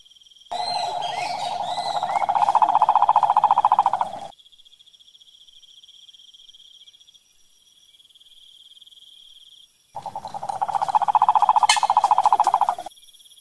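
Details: ['Wild cane toad (sapo cururu) from the Brazilian sertão/pantanal: a long, rapid, even pulsed trill of low-mid pitch lasting about four seconds, a pause, then another trill; a steady high insect-like tone continues throughout, with brief chirps.']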